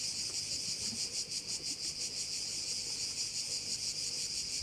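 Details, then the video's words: Sounds of crickets at one of Korčula's bays: a piercing, steady trill that swells in rapid even pulses, about three each second, filling the whole stretch with little else audible. "Korčula - view of one of the bays in Korcula with sounds of crickets"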